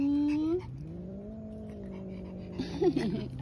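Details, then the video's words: Distressed stray cat at a roadside in the evening, yowling with another black cat present; a short high cry, then a long low moaning wail holding steady before sagging, with a person's voice and scuffling noises near the end. "THE SCARY WAIL OF STRAY CAT IN THE EVENING"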